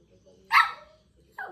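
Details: A single sharp bark from an angry Shih Tzu, then a softer second bark, with a person speaking in Kannada before and after and low room noise underneath.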